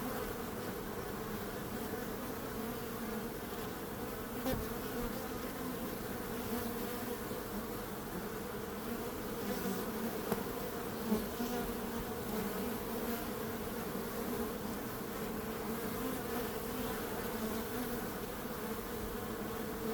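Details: Constant hum of many bees, an even low drone holding steady with only a couple of faint taps breaking the flat wall of buzzing.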